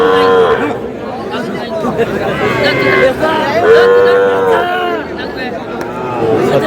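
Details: Small bulls and heifer calves at a Dhaka cattle market, Bangladesh; two long, level moos with rich harmonics stand out over dense market crowd noise and men's voices discussing prices.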